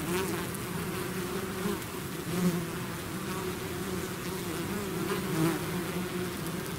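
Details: Bees swarming out of the hive make a thick, even drone, low pitched with a higher overtone, brief swells as single insects pass the microphone.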